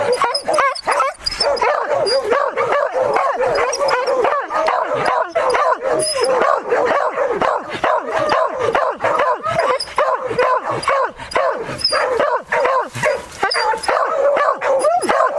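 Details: Beagle and Beagle-Harrier give rapid, yelping bursts of barking while hunting, holding a wild boar at bay.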